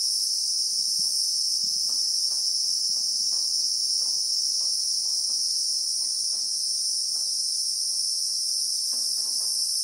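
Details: Christmas beetle (Anoplognathus) in the South African bushveld among acacia trees, recorded in real time: a continuous shrill, steady double-banded drone at very high pitch, unbroken throughout, with faint soft ticks and taps underneath.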